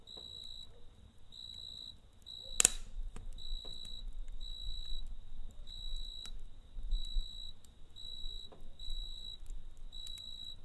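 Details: Crickets chirp through the night next to a crackling campfire, short high trills evenly spaced roughly twice per second, a sudden snap of wood early on and a low, rustling fire rumble throughout.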